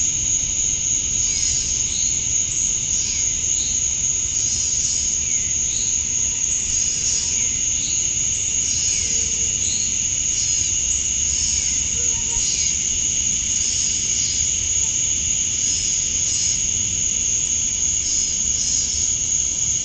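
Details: Male cicadas chirping for females at dusk, summer night, Georgia, USA: a steady piercing high drone overlaid by short raspy pulses repeated roughly every second, forming a pulsing rhythmic chorus.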